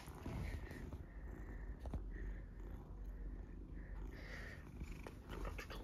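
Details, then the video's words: An adult golden tabby Scottish Fold cat, described as huge, purrs loudly in a deep, steady, rumbling throb while being played with and teased, staying calm. "Huge Scottish Fold Cat Purring Loudly While Played With"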